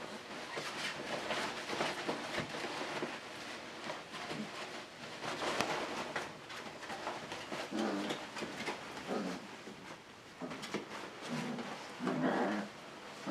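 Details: Catalan Sheepdog puppies from Bonny and Elgoche's litter at play, constant scuffling and rustling broken by a few short, tonal yipping and whining bursts toward the end.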